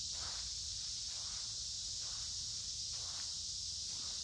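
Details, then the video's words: Cicadas in large numbers droning beside a woodland creek on a warm, humid summer day, a constant shrill buzzing wall of sound, with soft footsteps crunching roughly once per second below it. "Walking along a Creek with lots of Noisy Cicada Insects Singing in Summer"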